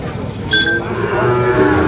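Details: Brief bellow from a Sahiwal bull calf at the Ambari cattle market, Dinajpur, 5 May 2025: a low, sustained lowing that swells toward the end, with a sharp higher note and crowd noise behind.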